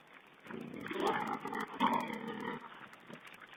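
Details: Wild boar piglets feeding, filmed by a webcam on 16 April 2010. Rough, noisy grunting and squealing runs from about half a second to two and a half seconds, loudest near the middle, then fades to a quiet background.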